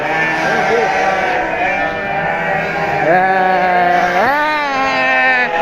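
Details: Sheep at a farm, with a wavering harmonic bleat holding steady and then two sharp upward-jumping bleats near the end, other sheep and a person's voice faintly behind.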